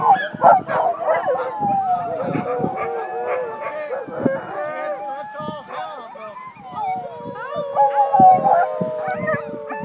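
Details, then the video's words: Sled dogs singing together: several long, sustained tonal howls hold level or slide gently downward, overlapping one another, while shorter yelps and barks break in irregularly between them. "Singing Sled Dogs"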